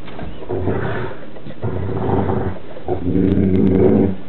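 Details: Two Newfoundland siblings, Burley and Miss Priss, wrestling in play; deep rumbling growls in three long bursts, each about a second, with low steady harmonics, sounding seal-like.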